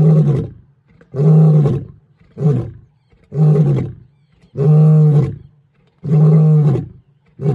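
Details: Lion giving a series of deep, grunting roar pulses, about one every second, each a heavy booming burst, with the later ones fuller and longer.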